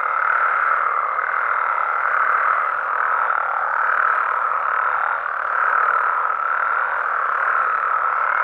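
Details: Frogs and toads calling at night in Mexico: a dense, unbroken chorus of overlapping trills and croaks forms a steady mid-pitched wash, with no single caller standing out and only slight swells in loudness.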